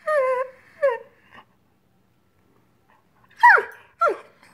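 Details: Greyhound frustrated that dinner has not yet been served: two steady held whines, a silent pause, then two sharp falling whimpers.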